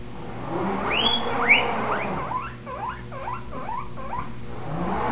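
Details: Pet guinea pig Spike squeals for food at the sound of the salad spinner, with quick runs of upward-sweeping, whistly wheeks repeated roughly twice a second, growing steadier toward the end over a faint indoor hum.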